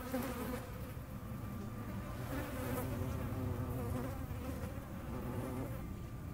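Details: Hornet wings produce a dense, steady hum with rich low harmonics, holding nearly constant in volume throughout.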